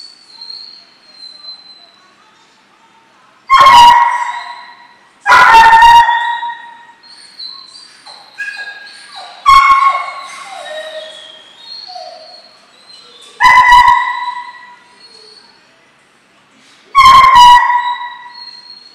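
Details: German Shorthaired Pointer puppies Memphis and Patty, 12 weeks old and in field training, bark loudly five times at uneven intervals of two to four seconds, with softer whining yelps between and a thin high whistled tone at the start.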